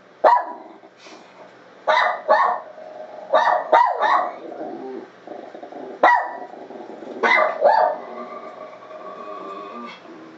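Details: A domestic dog answers its own recorded bark coming from a computer. Clusters of loud, rough barks, some doubled, are separated by quieter gaps lasting one to two seconds.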